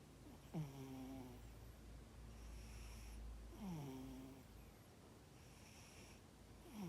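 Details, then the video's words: Cat snoring while asleep indoors: a steady run of breathy snores about every three seconds, each opening with a falling low rumbling tone followed by airy exhalation hiss. "Snoring cat"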